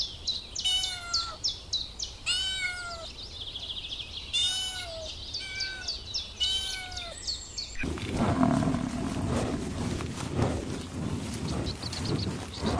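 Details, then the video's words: Kittens on grass stalking butterflies: four arched meows spaced about two seconds apart over high bird twittering, then rustling, wind-like noise for the last five seconds. "Adorable Kittens Stalking and Chasing Butterflies on the Grass – Meowing Sounds"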